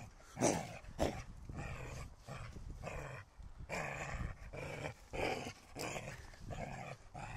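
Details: Holger the dog, wanting the stick, growls in rough, throaty bursts roughly every half second to second, while a person urges him on in Danish with repeated calls of encouragement.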